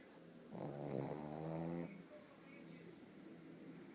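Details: Pug Bóris, asleep, lets out a single long, rough, vibrating snore lasting over a second, then falls back to soft breathing.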